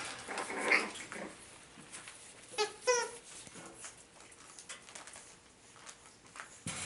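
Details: Boston Terriers out at play time together, recorded 13 September 2017: a brief high whine, then a pair of quick wavering whimpers with stacked overtones, over soft pattering and rustling of paws and movement.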